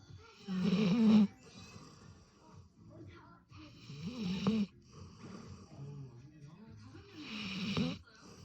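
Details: Sleeping golden retriever snoring heavily: three loud, rasping, throaty snores with a low voiced rumble, each about half a second long, spaced roughly three seconds apart, with softer breathy snuffles in between in a quiet room.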